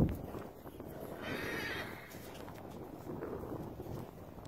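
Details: Blanket Appaloosa stallion, a show horse with Western Pleasure wins; a neigh rises around the middle of the recording, with thudding hoof clip-clops and handling noise below.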